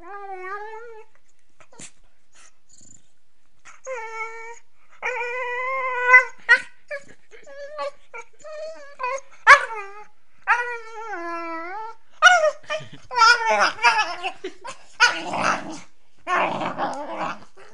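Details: Female Beagle puppy vocalizing indoors while playing: drawn-out harmonic howls and whines, some wavering and rising, in bursts of about one second, followed by rougher barking yowls and grumbles toward the end.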